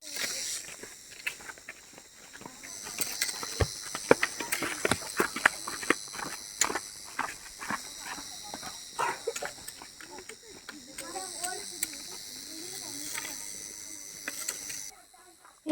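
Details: A steady, high-pitched cricket chorus rings on beneath crunching footsteps on dry leaves and a man's voice, on the quiet forest climb to Chauragarh Mahadev temple, Pachmarhi, Satpura hills, India, around Shivratri 2024.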